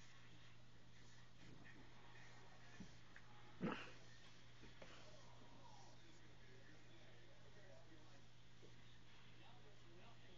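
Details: Kiddy, a female pet cat, gives one short, sharp sneeze midway through an otherwise quiet stretch, backed by a steady low electrical hum and faint room noise.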